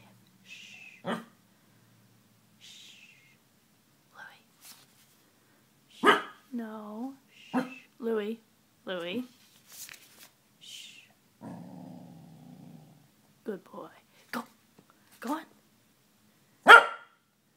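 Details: A male corgi gives low, wavering barks and yowling talking sounds while listening, as a person quietly tells him to speak; corgi.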